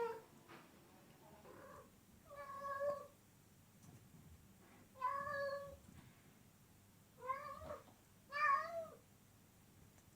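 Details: Unusual sounds from a domestic cat: a quiet run of about six short, bending meows, some chirpy and falling at the end, spaced irregularly over a low room hum.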